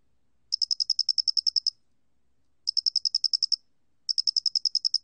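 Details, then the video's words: High, metallic pulsed chirping of the square-headed cricket, 2020 National Institute of Biological Resources recording; a long train of about fourteen pulses, then two shorter trains of around ten, spaced by clean silences. "모대가리귀뚜라미, 여러번 듣기, 곤충소리"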